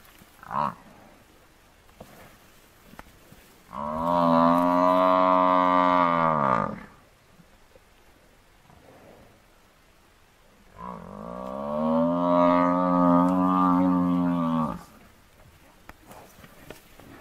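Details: African buffalo bull hunted by four male lions bellows twice in distress. Each call is a drawn-out, strained moan of three to four seconds, slightly wavering and dropping at the close, separated by several seconds of quiet scuffling.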